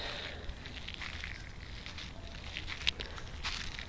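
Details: Steady low rumble with soft crackling and faint footsteps outdoors, one sharp click near the end.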